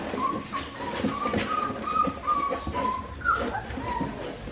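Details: Australian Shepherd puppies aged four weeks and five days, filmed indoors on a baby cam, whimpering in a rapid run of short, thin, steady-pitched whines, about ten in four seconds, one sharper rising squeak near the end, over soft rustling.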